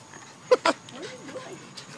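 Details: A female French Bulldog making weird noises gives two sharp snorting barks, then a low wavering moan that rises and falls.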